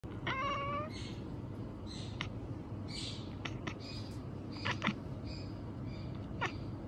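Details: Male pet cat at night murmuring a chattering "nyanyanyanya", a short harmonic meow followed by a string of brief soft chirps and clicks spread over several seconds, over low room hum.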